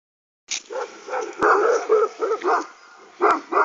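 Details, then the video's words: Aksaray Malaklı dog with two crossbreed dogs being provoked and riled up: a burst of deep, rough barks and growling yelps, about seven in quick irregular succession, with two sharp clicks and a silent start. "aksaray malaklısı kışkırıyor"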